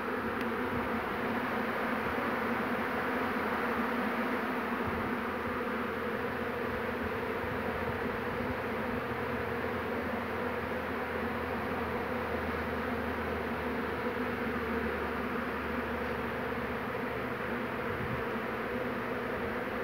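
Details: Second honey bee swarm of 2 June 2019 being collected: a long, uniform hum from many bees, dense and unchanging throughout, with a low rumbling undertone.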